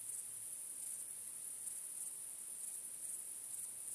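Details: High ringing trill of crickets on a starry night, with pulsing chirps every 0.8 to 0.9 seconds over a calm, otherwise silent backdrop.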